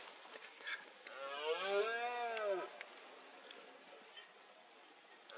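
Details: Single roar of a red deer stag during the 2022 rut in foggy Cantabria, Spain: one deep, arched, harmonic bellow lasting about one and a half seconds over faint rural background.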